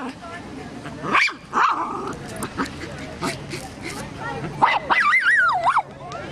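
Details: Max the dog, playing with a rock that is his favorite toy, lets out two sharp barks close together, then a wavering, rising and falling whine-like vocalisation, with some human voices and handling noise in between.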